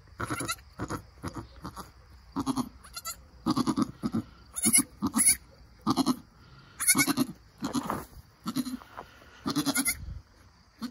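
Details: Nigerian Dwarf goats at birth: a mother goat and her newborn doeling kid, which stands up and nurses milk. Short, harmonic, nasal bleats come in quick bursts, roughly one every half second to a second, with brief quiet gaps between.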